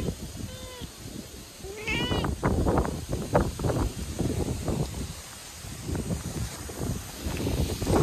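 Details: Calico cat, apparently a stray, crying sadly on a typhoon day; two drawn-out plaintive meows near the start, the second rising then falling, followed by loud gusty wind and rustling noise.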